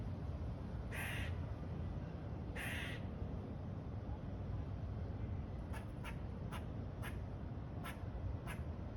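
A squirrel gives two harsh, raspy calls, then a run of short, sharp clicking notes over steady rumbling noise.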